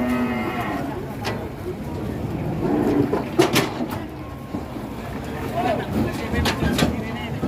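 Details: Angry cattle, just off a truck and rampaging until a horn came off, give low, drawn-out lowing moos amid a noisy crowd, with shouting voices and sharp bangs and clatters.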